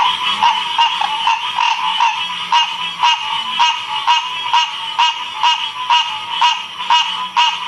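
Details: Ocean Springs, Mississippi frog chorus from 2016, with one prominent frog giving sharp, evenly spaced croaks roughly twice per second above a constant trilling backdrop of other frogs.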